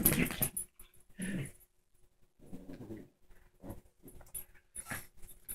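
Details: A female Shih Tzu indoors attacking a new toy, letting out low rough growls in bursts with short yelping whimpers between, irregularly spaced across a few seconds in a small room.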